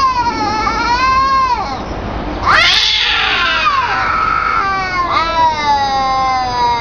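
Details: Cats calling to each other in sustained, wavering meows that slide down and up, one harsher burst in the middle, calls nearly continuous throughout.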